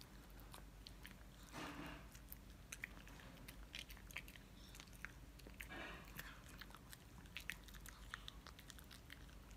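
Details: Pet Shih Tzu named Mylly munching a dental stick: quiet, irregular crunching with sharp dry snaps and clicks scattered throughout, and soft broadband rustling bursts near the second and sixth seconds.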